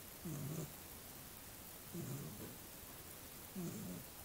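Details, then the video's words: Little pet dog sleeping and snoring: low rumbling snores around every one and a half seconds, each short and burbling, with quiet breathing pauses between them. "Snoring Dog"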